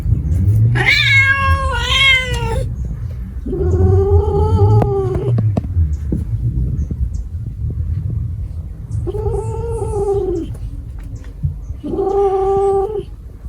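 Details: Cat giving four drawn-out, wavering yowls, each one to two seconds long, with clear harmonic tone and a steady low rumble underneath.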